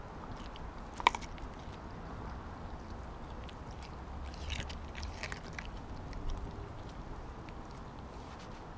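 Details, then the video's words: Kobi, a Siberian Husky, eats a whole raw mackerel in one go instead of his usual smaller chunks; sharp bites and wet crunches break through a steady low rumble, with one loud crack near the start. "Husky Eats Raw Fish! Sound On"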